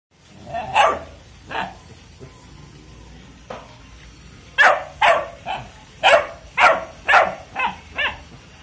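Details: Golden Labrador puppy giving short, sharp yappy barks, a few spaced early on, then a quick run of about eight barks in the last four seconds.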